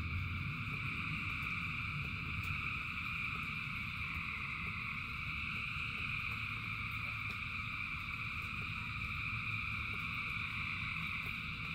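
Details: Rain-soaked frogs in huge numbers keep up a loud, steady trilling chorus at several stacked pitches, scattered sharp clicks rising above it, and soft low rain noise below.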